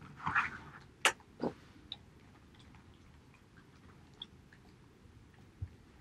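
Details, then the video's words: Haedeun, a male Border Collie, eating pollack soup: a cluster of wet chewing and lapping bursts in the first second and a half, then a few sparse soft clicks of mouth sounds in a quiet indoor room. "Bordercollie eating pollack soup 보더콜리 황태죽 먹방"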